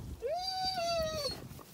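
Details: Zwartbles lamb on a regenerative farm in County Kilkenny, Ireland, calling during the morning feed in early summer: one clear, drawn-out bleat rising then level and falling slightly, about one second, with a man coaxing the flock nearby.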